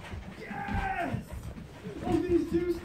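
An Alaskan Malamute gives drawn-out, moaning 'woo' vocalizations that bend up and down in pitch.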